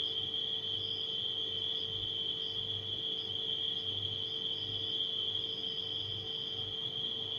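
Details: Nighttime crickets sing a constant piercing trill, with short higher chirps repeating every second or so, against a rhythmic low refrigerator drone.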